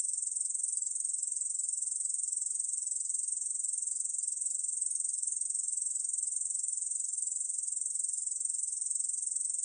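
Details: Korean bush cricket, recorded 2020, producing a sustained, very high, sizzling trill of fast regular pulses, steady in volume throughout, against silence.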